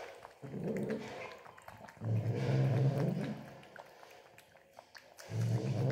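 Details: Angry domestic cat growling while drinking milk indoors; low rumbling growls in three bouts, the middle one longest at about two seconds, separated by quieter gaps with faint lapping and clicks.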